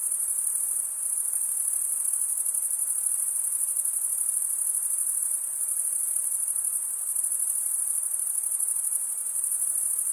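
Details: Crickets chirping by stridulation, rubbing one wing's edge across the toothed vein of the other; a dense, high, steady trill with fine rapid pulsing holds without pause throughout, and no other sounds intrude.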